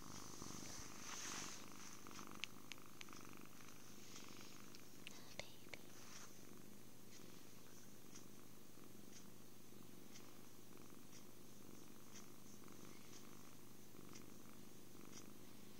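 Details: Android phone recording of a happy kitten purring through cuddles, food and sleep; a continuous deep rumble under faint whispered sounds and scattered small clicks.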